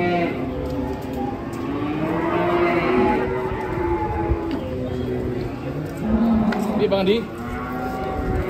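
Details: Massive cows leaving a truck in 2024 low twice: a drawn-out moo early on, then a shorter rising one near the end, against voices and mechanical noise.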